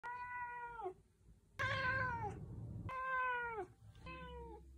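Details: Four drawn-out meows from a 14.5-year-old male Ragdoll cat who has meowed a lot since kittenhood, each a clear, tonal cry holding level then sliding down; the second louder and harsher, with a low hum behind.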